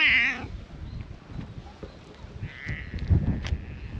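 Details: Brown-tabby-and-white stray cat by a waterside on a hot day, giving a short high wavering meow at the start, then a fainter drawn-out second meow, over low rumbling outdoor background noise.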